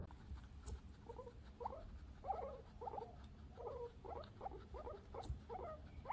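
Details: Pet guinea pigs eating vegetables indoors: a steady run of short, mid-pitched squeaky chut notes, each a small cluster of clicks, repeated roughly twice a second over soft rustling and nibbling.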